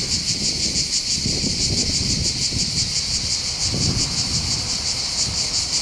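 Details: Cicadas singing in the hills above the port of Bandol, Var, on the Côte d'Azur in southern France by the Mediterranean. A continuous shrill, high buzzing chorus pulses rapidly and evenly, over low rumbling wind noise.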